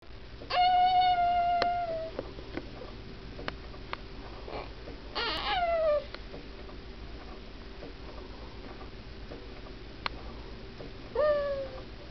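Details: Cooper, a pet cat, making odd noises while asleep indoors: three drawn-out whining cries, each sliding gently downward, separated by quiet pauses with small clicks.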